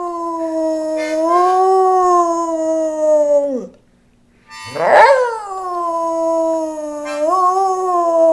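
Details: A pet dog named Rowdy howls along to a harmonica in long, steady, musical tones. One held note drops away, then after a short silence a new howl swoops up and settles, with harmonica tones running alongside.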